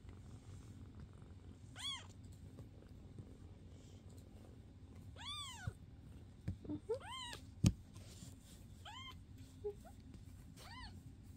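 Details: Foster domestic cats indoors, filmed May 22, 2024: five high, arching meows with rising-then-falling pitch, spaced a second or two apart, along with a few soft knocks and sharp clicks over a low room hum.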